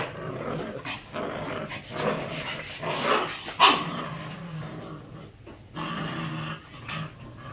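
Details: A pair of Belgian Malinois puppies in Hanoi, Vietnam, growling indoors: throaty rumbling snarls rise and fall over several seconds, with one sharper yelping burst midway and faint room noise.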